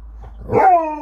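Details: Alaskan Malamute named Sherpa, a pet dog indoors with family, gives a single loud, short vocal burst that starts rough and settles into a tonal, slightly falling, harmonic howl-like note lasting under half a second.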